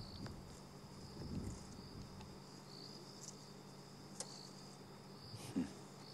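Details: Crickets in the Sabi Sand bush at night, 14 March 2016 after sunset, give a soft, continuous high-pitched trill beneath a low hum and a few scattered clicks and knocks, nearly masked, with a buffalo grazing nearby.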